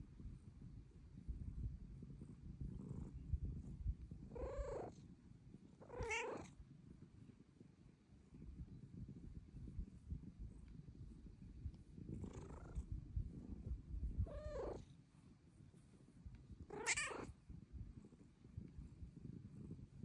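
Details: Young female Bengal cat, whose purr is getting louder with age, meowing for petting: five short, rising-falling meows spaced irregularly over twenty seconds, the last one sharper, above a steady low purr.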